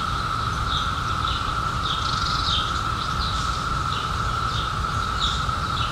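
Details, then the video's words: Cicadas from the 2021 emergence after 17 years underground: a steady, unbroken mid-pitched droning chorus fills the whole stretch, with short high bird chirps scattered above and a low rumble of background noise. "CICADAS 🌿 Sounds"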